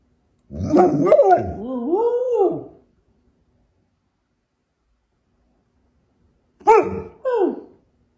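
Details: Pet dog trying to get its owner's attention to negotiate for treats, producing a long, warbling, rising and falling grumble of about two seconds, then silence, then two shorter moaning whines.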